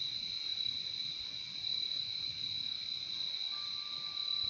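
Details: Shrill crickets trilling continuously at a high pitch, two layered bands of chirping steady throughout, and a faint thin tone appearing near the end.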